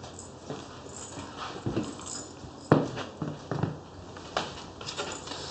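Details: French Bulldog puppies in Oyabe, Toyama Prefecture, Japan: scattered short, rough yips and snuffling bursts, one louder sharp yelp near the middle, over steady indoor background hiss.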